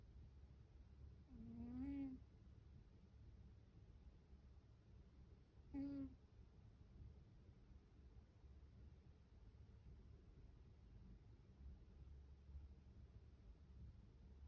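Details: Siberian cat asleep, giving two soft snoring breaths about four seconds apart, each a short faint tonal rasp, with quiet low hum in between and no other clear sounds.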